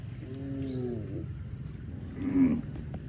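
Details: Cow in the fields mooing: a steady, even-pitched low moo lasting about a second, followed by a shorter, louder bellow, with low rumbling background noise throughout.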